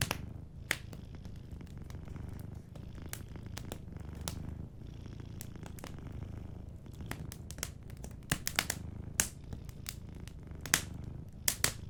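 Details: A sleeping cat's gentle purr runs as a low rumbling bed beneath frequent crackles and pops from a warm fireplace.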